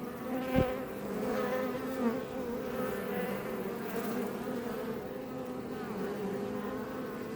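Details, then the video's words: Many honey bees of the Iberian subspecies buzzing outside a Langstroth hive west of Roquetes, Tarragona, Spain; thick steady drone, a sharp tap early on, then bees passing close and fading. "Bees Healing Sound Effect HD - Up Close"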